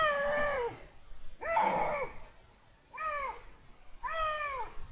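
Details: Male Iberian lynx in heat, recorded in January 2022, giving four drawn-out, arched, harmonic meows, each rising then falling over nearly a second, separated by short pauses, with faint background hiss.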